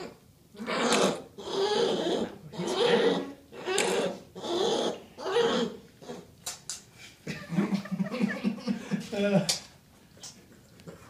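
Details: A grizzly bear cub tries to nurse off a person's hand, producing lots of saliva and rhythmic, breathy suckling pulses while a person talks.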